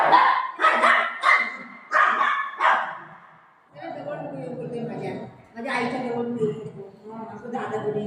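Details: Golden Retriever dog playing with its mom at home, giving a run of short, sharp yipping barks about every half second for the first three seconds, followed by a person talking over quieter whines.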